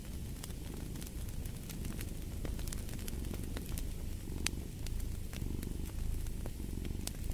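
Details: Domestic cat purring beside a fireplace: a steady low rumble that swells and fades with each breath, overlaid by sharp, scattered crackles and pops from the burning fire.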